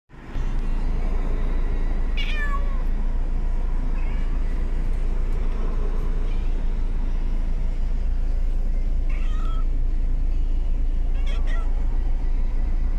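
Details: Cats riding in a car, apparently in a cat carrier, on 23 July 2021, give plaintive, falling meows over a steady low rumble of car engine noise.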